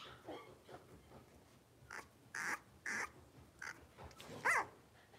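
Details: Cavalier King Charles Spaniel puppies, blenheim, one of a New Year litter of five playing in an indoor pen: a handful of short, high puppy barks about half a second apart, ending in a sharp yelp over faint room noise.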